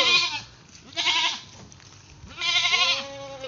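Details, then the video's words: Naughty pet goat bleating three times in about three seconds, each call a bright, quavering, nasal cry, the last one longest and drawn out, with brief quiet gaps between. "Makulit ko alaga kambing"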